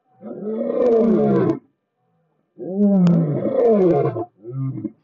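Lions give deep, rasping roars in long bursts, each trailing off into a shorter grunt.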